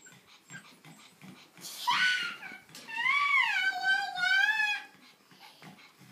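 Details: Month-old Pug puppies playing; a young pug puppy gives a high, wavering whine after a brief squeal.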